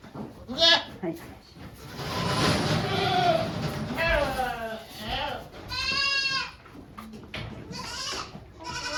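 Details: Goat on a Japanese goat farm on 3 May 2023, filmed while a doe gives birth to two kids as volunteers watch; several wavering, harmonic bleats rise and fall amid people talking quietly nearby.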